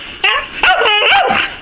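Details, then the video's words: Eskimo dog kept as a pet barking on command during a trick, with three loud, ringing barks, the middle one drawn out and yelpy, followed by praise from its owner. "Bark & Sit !"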